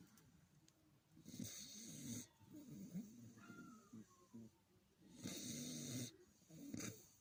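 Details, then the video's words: Dog snoring indoors: a series of rough, rasping snores in bursts of about a second, repeated every one to two seconds, with a faint whistling tone in between and a quiet background. "храпит как собака"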